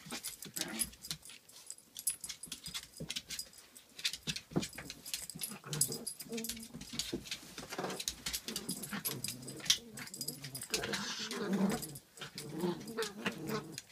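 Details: Angry pomapoo puppy getting mad at a Pomeranian that plays back; scuffling play with bursts of rough growls and yips, thumps and rustling throughout.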